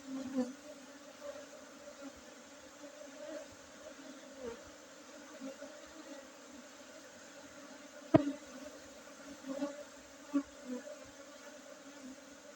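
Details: Honey bees during a Monday honey harvest on 5 June 2023 at an apiary in Tingkem Bersatu, Bener Meriah, Aceh, Indonesia, amid Arabica Gayo coffee gardens; a steady droning hum with louder passes as bees fly close, plus a sharp knock.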